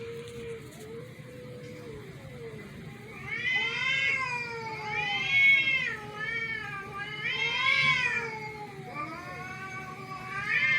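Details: Domestic cats reacting to a strange meow; long wavering harmonic meows and drawn-out yowls rise and fall in repeated bouts, with a low steady hum underneath.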